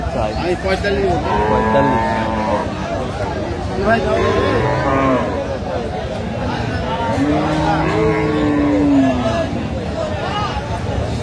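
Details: Improved-breed dairy cows and calves at Aftabganj cattle market, Dinajpur, on 17 June 2025; several drawn-out moos follow one another, some overlapping, amid busy crowd talk and bargaining voices.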